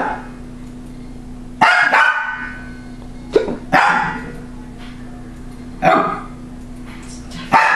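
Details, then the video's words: A pet female dog barks at a laughing toy that rolls when its eye sensor detects motion: four sharp, harmonic barks spaced irregularly a second or two apart, with a steady electronic hum underneath. "My dog barking at Roffle"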